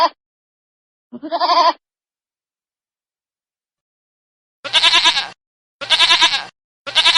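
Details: A short, wavering bleat from a baby goat, then after a few seconds of silence three loud, harsh bleats about one second apart.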